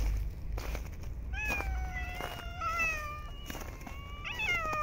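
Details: Homeless street cats fed outside during snowy winter cold: one long, slightly falling meow lasting over a second, then a shorter upward-bending meow, against steady low background rumble.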